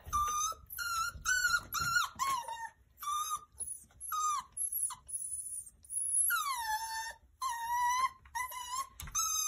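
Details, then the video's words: Indoors, a 9-week-old Miniature Schnauzer puppy demands to take his indoor toy squirrel outside. He makes a long run of high, nasal whines, each short cry bending upward or falling, sometimes in quick bursts, with brief gaps between them. "9 Week Old Miniature Schnauzer Demand He Take His Toy Squirrel Outside"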